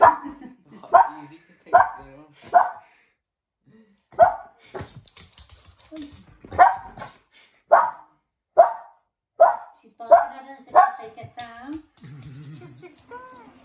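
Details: Cavalier King Charles Spaniels, an 8-week-old puppy being introduced to a 2-year-old Cavalier, giving about a dozen short, sharp, harmonic yaps roughly once a second, with a pause near four seconds, then trailing into a softer, wavering whine.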